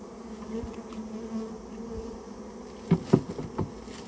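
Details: Japanese honey bees, a rare species, from a colony that nested inside a storehouse and is being removed, giving a steady low droning hum with a higher overtone, broken near the end by a few sharp knocks.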